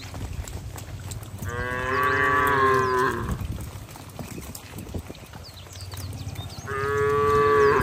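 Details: Cattle moving slowly along wet roads to the barn in the rainy season give two long, harmonic moos, each about two seconds, separated by a pause filled with steady outdoor rumble and faint bird chirps.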